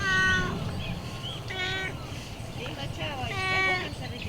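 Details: Friendly city stray cat that greets people and talks freely: three strong, drawn-out meows with rich harmonics, spaced about a second and a half apart, with a person talking softly and street hum behind.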